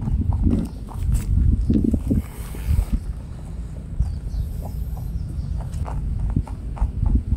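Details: A rabbit eats on Okunoshima, Japan's Rabbit Island, at midday on 29 June 2022; irregular crunching and rustling bites sound close amid a loud low rumble, with a faint thin whistle in the background.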